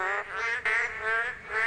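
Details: Male boreal digging frogs on a rainy day in the monsoon mating season call to attract females, each giving drawn-out, nasal, bleating 'maeng' or 'kkong' notes that overlap into a steady, droning chorus.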